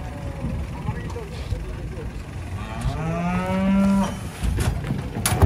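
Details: Large cattle being unloaded from a truck at Jelok market, Indonesia: one long, low, harmonic-rich moo rising then falling over about two seconds, set against low rumbling engine noise and background crowd sounds.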